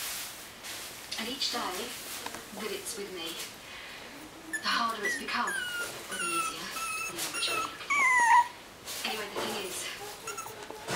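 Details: Puppies give short, high whimpers that slide downward, clustering in the second half, with a louder wavering whine near the end, over background talking and soft handling noises.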